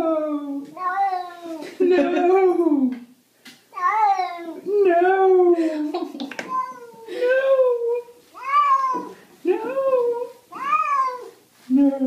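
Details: Domestic cat, apparently reluctant during a bath, gives a long run of loud drawn-out meows, each rising then falling, about a dozen in twelve seconds with barely a pause between them.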